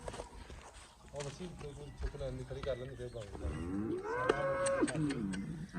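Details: Jersey Cholistani cross cow, offered for sale, with a big udder; quiet low lowing at first, then a louder moo near 4 seconds that rises and falls, over farmyard background noise.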